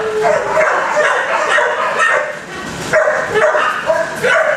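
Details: Several dogs bark at once inside kennels, their overlapping barks and yips forming a steady loud din that briefly dips near the middle before surging again.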